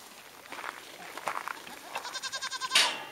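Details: Goats at a ranch, apparently playing: a goat (Capra hircus) gives a nasal, quavering bleat that pulses rapidly before ending in a harsh burst.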